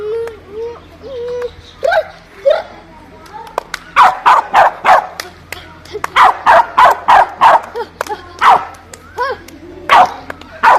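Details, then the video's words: Dogs barking: a few soft whines open the recording, then loud, sharp barks come in quick runs of several per second, with short pauses between bursts. "Dogs Barking Sound Effect"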